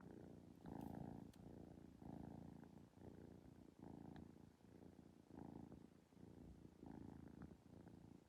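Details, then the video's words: Kitten purring steadily in pulsing bursts roughly every second, a low rumbling throb with soft breathy rhythm, indoors. "Kitten Purr’s Yawns and gets up"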